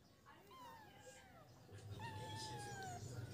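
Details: Feral kittens playing together on a piece of wood give two thin, drawn-out meows that slide downward, the second longer and steadier, over a low background hum.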